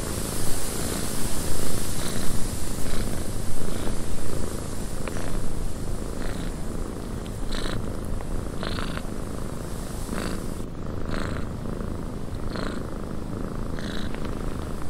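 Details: Steady, low, throbbing purr from a cat inside a windy cabin, with scattered short creaks and taps above it and a constant airy wind hiss in the background.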